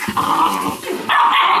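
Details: Weimaraner puppies from Indigo and Magnum, teething and mouthing everything, give short yips and low growls, then a sustained higher whining yelp in the last half second, indoors with a person talking nearby.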